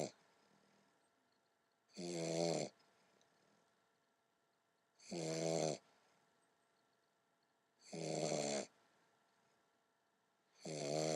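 An English Bulldog puppy snores loudly in slow, regular bursts about every three seconds.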